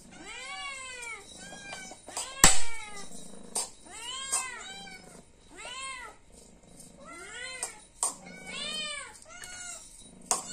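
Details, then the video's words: A hungry house cat asking for food, meowing insistently about once every second, each call an arched rise and fall, with a sharp knock and faint background shuffling. "The sound of a cat meowing for food, because it is hungry."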